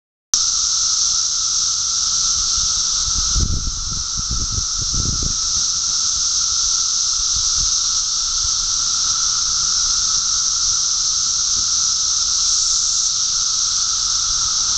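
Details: Thousands of 17-year periodical cicadas in a mass emergence at Park Ridge, Illinois, fill the air with a dense, unbroken droning chorus, a steady high buzzing hiss with a fainter lower hum, and brief low thumps and rustles near the start.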